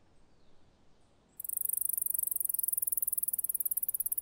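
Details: A male Alston's singing mouse (Scotinomys teguina) sings a very high, rapid trill of sharp repeated notes in response to female scent.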